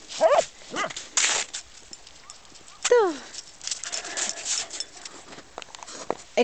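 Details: Corgi at play in sparse snow lets out a few quick, high, downward-sweeping yelps at irregular intervals among rustling and crunching sounds, while a person talks and calls "hey" nearby.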